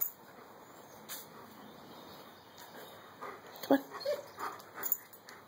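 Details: A female German Shepherd with fibrotic myopathy, her left hind paw causing discomfort after a long walk, lets out brief high squeaky whimpers near the end, over a steady electrical hum with someone talking to her indoors.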